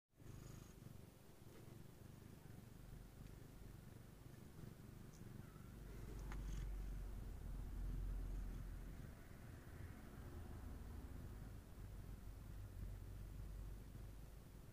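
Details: Somali cat mother, a black silver female, purring while grooming and cuddling her kittens during their nap; a steady low rumbling purr throughout, swelling louder around the middle, with faint rustling.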